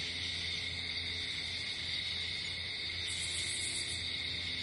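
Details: Night cricket chorus, continuous high-pitched ringing trill with a short buzzy flare partway through and a soft low hum underneath.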